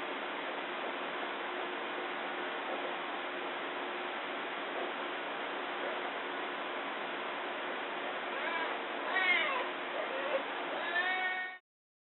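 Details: Amur tiger cubs, three newborns nursing beside their mother in a behind-the-scenes zoo den under a remote camera; after steady hiss, a run of wavering, rising-falling mews late in the recording before it cuts off.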